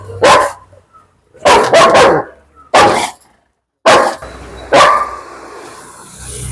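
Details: Aggressive German Shepherd, a biting dog protective of a girl, recorded in Koyilandy: about six single deep barks spaced roughly a second apart, some in quick pairs, with low background noise between them.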